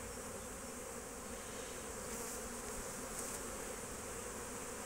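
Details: Honey bees busy foraging at hives on 12 March 2024; a continuous low buzz from many insects with a hissing wash on top and a couple of brief bright clicks.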